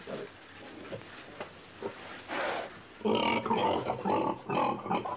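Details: A pig grunting in a pen: low, short rough grunts in irregular bursts, growing louder and denser in the second half into rapid snorting, throaty calls.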